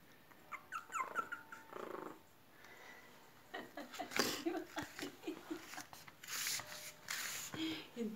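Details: Three long-haired toy chihuahua puppies: brief high harmonic whines and yips at first, then a run of short breathy grunts, snuffles and soft growl-like bursts with scuffling, as if playing.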